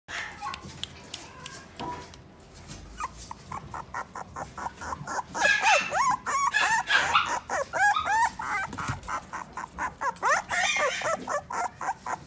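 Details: Toy poodle at the Inu no Ie pet shop, Odawara branch, giving a rapid run of high, yelping barks and arched, whining cries that grow louder and denser after the first few seconds, with faint background voices.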